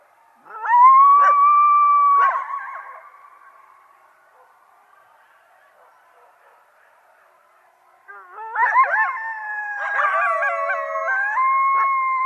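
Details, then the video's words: Coyote gives a sustained howl that rises and then holds steady. After a quiet pause come a cluster of yips and wavering, overlapping howls ending in a long, level tone. "ЗВУК КОЙОТА | Який звук видає койот"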